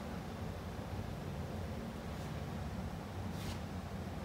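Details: Steady broadband wind or microphone rumble throughout, with two brief high whooshes and no animal voice.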